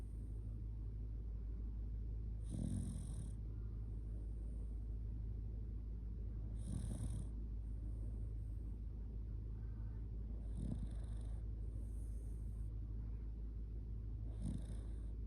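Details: Shiba Inu Kotetsu asleep, cuddled up and merely drowsy, gives strong raspy snores: four noisy breaths at roughly four-second intervals, with faint airy whistles between them and a continuous low hum behind.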